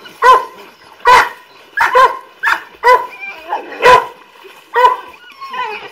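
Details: Golden Retrievers swimming after their owner in Samut Songkhram, Thailand, in July; loud, full barks spaced roughly a second apart, seven in six seconds, with faint voices between them.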